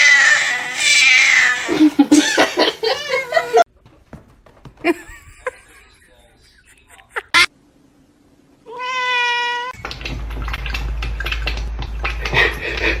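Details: Domestic cat giving one drawn-out harmonic meow that holds level then falls slightly, following a stretch of excited human talk and quiet room noise, with a low steady hum behind it.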